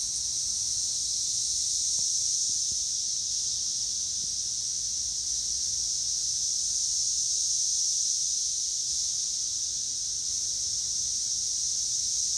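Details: Cicadas in Northern Kentucky in 2021 fill the air with a steady, unbroken high-pitched hissing drone that holds constant without pauses, with no other clear sounds above it.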